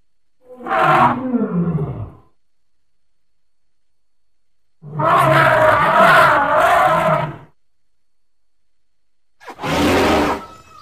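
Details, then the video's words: Baby elephant playing with its natural surroundings: three separate bursts of harsh, harmonic calling, a short one near the start, a longer roaring stretch of about two seconds in the middle, and a brief final blast, with silent gaps between. "A pretty baby elephant and such a defenseless hoot is not at all small"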